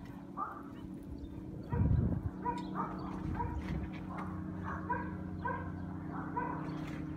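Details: Two young Boerboels, Athena and Oscar, about the same age and from the same kennel, play fighting after a long time apart, Athena muzzled; short yips and whimpers over a steady low hum, with a louder burst near two seconds and people chatting.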